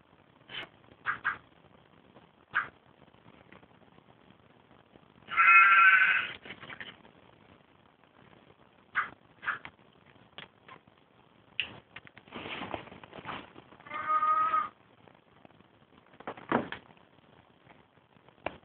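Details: Domestic cat described as making farm-animal noises, giving two drawn-out, bleating, sheep-like harmonic cries near the middle and later, among scattered short clicks and handling knocks in a quiet room.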